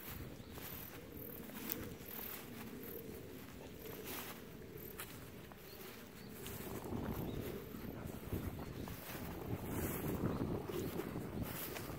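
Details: Outdoor wind rumble buffeting the microphone, growing louder toward the end; no animal voice is heard.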